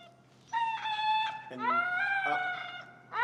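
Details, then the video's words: Finnegan, a highly vocal feral husky in heel training, voices disagreement with a behavior. Two drawn-out tonal howling whines, the first steady, the second swooping up then holding, with a third starting at the end. "Extremely Vocal Feral Husky, Disagreeing With A Behavior"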